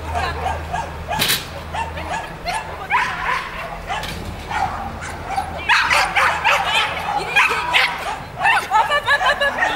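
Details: Barking from Manchester terrier Stig (Rockstyle's Northern Speed) during an agility competition: rapid, irregular volleys of short, loud barks running almost continuously, with hall echo and background crowd noise.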